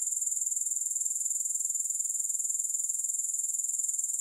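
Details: Steady, unbroken high-pitched insect trill from grasshoppers, fast even pulses repeating about four times a second, with no music or other noise.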